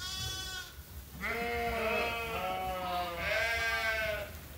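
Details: Farm sheep at Ewetopia Farms waiting to be fed; a short bleat followed by a long, wavering bleat and another overlapping call, several animals calling in close succession.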